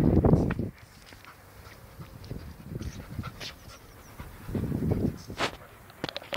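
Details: White Alsatian named Jim panting outdoors: two loud clusters of quick, breathy huffs at the start and near the end, quieter rapid breaths between, plus faint rustles and clicks in the background.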